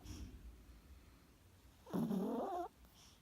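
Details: Sleeping chihuahua snoring: a quiet stretch of soft breathing, then one loud wheezy, whistling snore lasting under a second, its tone wavering up and down, followed by quiet again.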